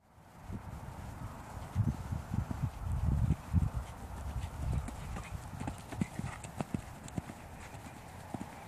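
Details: Dutch Warmblood horse moving on soft ground, giving irregular, dull, low thuds of hooves, loudest around the middle seconds then fading, with faint clicks and a steady background hum.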